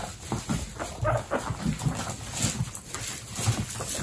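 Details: Pet guinea pigs indoors, babies alongside pregnant females in a household of 29. Low, pulsing rumbles with faint tonal squeaks over them run throughout, over a steady background hiss.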